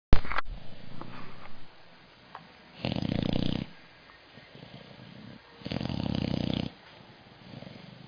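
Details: Sally, a puppy, snoring loudly, a sound likened to a Harley: broad, rasping, low-pitched snores lasting about a second each, two strong ones a few seconds apart between softer breaths, in a quiet room.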